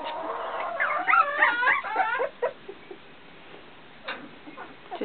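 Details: Young puppies, fifteen days old and learning to walk, give a cluster of quavering, bending whines for about a second and a half, then quieter brief yelps amid low background noise and a speaking voice.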